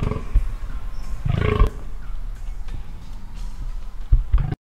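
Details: A rutting spotted fallow buck in 2017 lets out low, guttural, belching groans that swell and fade, with wind and faint background noise beneath.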